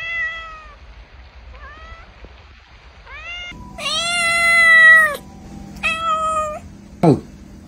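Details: Cats and kittens meowing: a run of short harmonic meows, some rising, then a long loud drawn-out meow and another shorter one, closing with a quick sharp falling squeal over a low steady hum.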